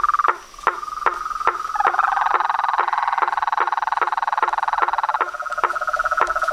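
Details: Evening chorus of toads, frogs and treefrogs at a pond in front of a house porch. Steady knocking pulses and a fast rattling trill overlap, while a second, higher trill joins for a few seconds in the middle, making the sound dense and chaotic.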